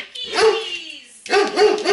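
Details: Dog reacting at a window, an emotional reactivity behaviour: a drawn-out whining bark, then three short sharp barks in quick succession near the end.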